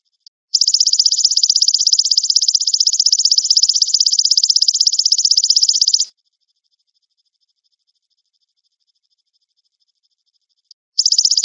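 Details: Golden grasshopper, kept as a tutor sound for white-rumped shama songbirds: a high, dense, even buzz of rapid pulses runs steadily for about five and a half seconds, stops for nearly five seconds of silence, then starts again at the end.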